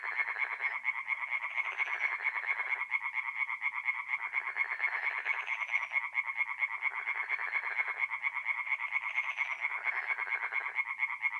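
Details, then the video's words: Singing tree frogs at a forest pond at night in mid-April, North-East Italy; a continuous fast rattling chorus with deeper croaking surges returning roughly every two seconds beneath the trill. "relaxing forest pond by night with singing tree frogs"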